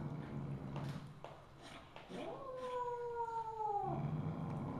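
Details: Siamese mother cat Misu, filmed on the evening of 2 February 2015: a single clear, slightly falling meow of almost two seconds rising out of low background hum, with soft clicks and rustles before it.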